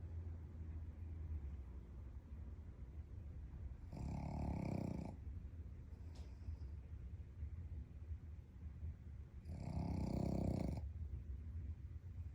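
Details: A sleeping Shih Tzu snores, with two rasping, breathy snorts about five seconds apart, in deep slumber.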